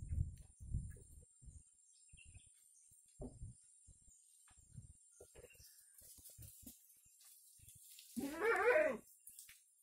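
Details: Kampung goat among lively goats lets out a single shaky, tremulous bleat near the end, after several seconds of soft low thumps and rustling movement.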